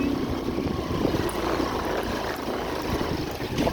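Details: Steady engine-like rumble and broadband noise with faint voices, no animal sound heard.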